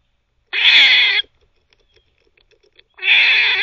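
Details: Two loud, rasping squirrel barks, each about three quarters of a second long and separated by a quiet gap with faint ticking, from a squirrel that barks and teethes at the same time.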